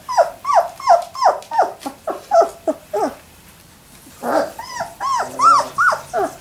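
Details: Labrador Retriever puppies at three weeks old, giving rapid repeated squeaky whines about three a second, then a pause and louder, longer wavering yelps indoors.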